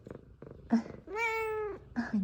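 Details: A female F2 Savannah cat, excited to see her owner, gives a long, clear, level meow lasting over half a second, framed by short chirping squeaks and light purring.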